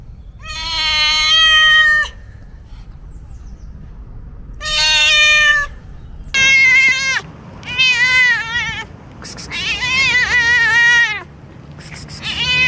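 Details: Cat giving a series of loud, tonal meows. Two long, steady cries of about a second and a half are followed by four shorter, wavering meows, with a faint low hum underneath.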